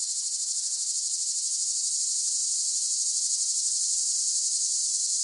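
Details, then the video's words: Cicada song: a loud, piercing buzz throbbing in fast, even pulses about three per second, sustained throughout without pause. "เสียงจักจั่น ฟังเพื่อผ่อนคลาย (Cicada Sound Effects)【セミの声】"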